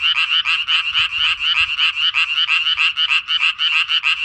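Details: Rasping tree frog calls from a breeding pond, pulsed notes repeated roughly three times a second, loud and continuous throughout, the frog returning to the same pond again this year.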